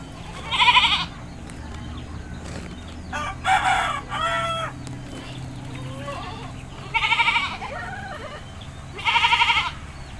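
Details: Village goat in Indonesia being bathed, giving four loud, quavering bleats spread over ten seconds, each short and shaky, with quiet rural background between calls.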